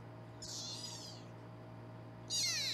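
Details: Foster kittens in a Los Angeles kitten cam room, being weighed; two short, very high, thin mews sliding downward, the second louder, over a steady low electrical hum.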